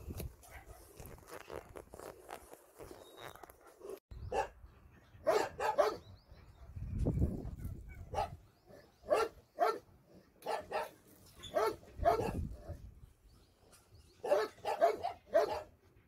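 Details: Dogs at a shelter, visited by a volunteer on a Sunday, barking in a long irregular series of sharp, harsh barks, some doubled, with quieter stretches and low rumbling handling noise between bursts.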